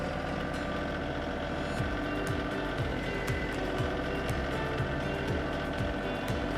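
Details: Music plays over a steady engine-like rumble with rhythmic low thumps and no animal sound.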